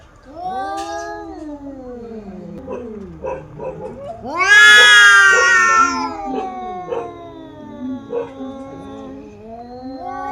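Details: Two female domestic cats in a fight: rising, wavering yowls and moans, a loud harsh screaming burst in the middle, then more uneven growling wails trailing off.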